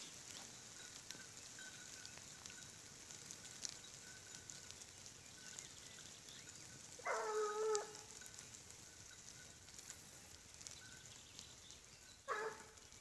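A Griffon Bleu de Gascogne gives two distant, ringing barks while trailing a wild boar, over steady hiss.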